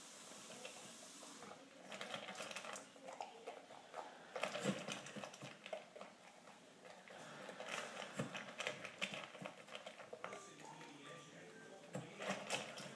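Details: A Standard Poodle eats fast, with quick, irregular crunching and clicking chews in a small indoor room, finishing a cup and a half of food in a little over two minutes.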